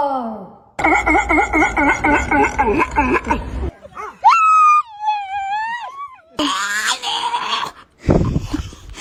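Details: Dog making weird vocal sounds: a long wavering moan pulsing several times a second, then a high sustained whine that dips and wobbles, followed by another warbling cry and a short low groan, separated by brief silences indoors.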